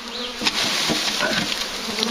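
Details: Large, very active bee swarm near a farm during collection: a dense, steady buzzing hum with low bands and a bright upper hiss, a sharp knock near the start and faint voices.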